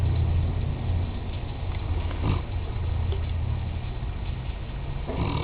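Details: Nicole, a Mastiff registered as Dralion's Nicole of Real Valley, snoring as she sleeps: deep, rough, grunting snores in low rumbling surges about a second long, with a sharper rasping snort near the end.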